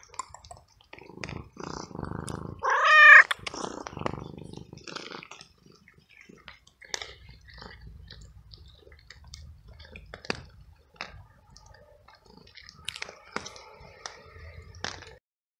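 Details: Stray male cat living alone on the street, soaked by hours of rain, frightened, cold and hungry, meowing very loudly while following for food; a few drawn-out harmonic meows in the first four seconds, loudest near three, then soft clicks and chewing-like ticks.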